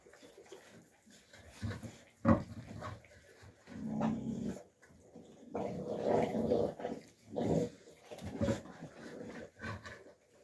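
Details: Alabai puppies, young, fighting in winter 2023 (Fawn, Alpha and Tiger): deep rumbling growls in several long bursts, a sharp snarl near two seconds, then sustained growling from four to nine seconds with short pauses.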